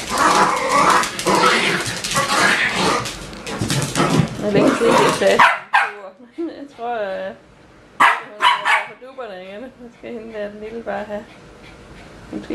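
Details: Bichon Frisé puppies from a small Danish kennel's O and P litters: after several seconds of people talking in Danish, a run of wavering, tonal whines and yips follows, some short and others drawn out, with brief quiet gaps between them.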